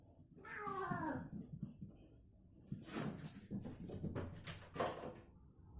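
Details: Domestic cat in a crazy, playful mood, giving a short harmonic meow that falls in pitch, followed by several loud sharp bumps and rustling noises.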